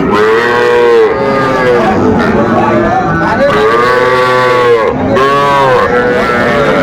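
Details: Young Sahiwal bull calves at a Bangladeshi cattle market bought by a Dhaka farmer, 11 November 2024: three loud drawn-out moos, each arching up then sliding down, roughly every two seconds, over market chatter.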